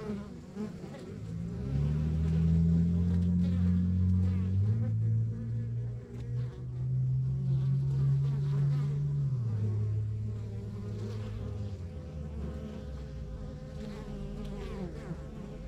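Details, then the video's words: Honey bees at a rural backyard beehive, one bee flying close gives a loud whining buzz that wavers and shifts pitch for several seconds before fading, the colony's softer drone continuing beneath. "Relax to the Sounds of Our Backyard Buzzing Beehive"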